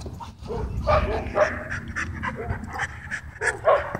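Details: At a dog park, play between dogs gives way to a dogfight. Rough barks, growly bursts and panting-like breaths overlap irregularly throughout, over steady low-pitched background noise.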